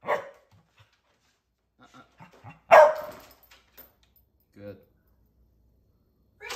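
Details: Black and white purebred Cardigan Welsh Corgi, raised in California, USA, excitedly waiting at the gate indoors during command training; one loud, sharp bark near the middle, with scattered soft sounds and a faint human voice.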